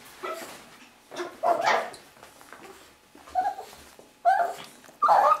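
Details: Young Russian Toy Terrier, Bonya, aged six and a half months, meeting owners back from work; five loud squealing yelps and barks spaced about a second apart, with whining between them.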